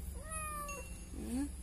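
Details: Fearful kitten found behind a door, crying: a falling meow lasting about half a second, then a short rising squeak, with steady low background hum.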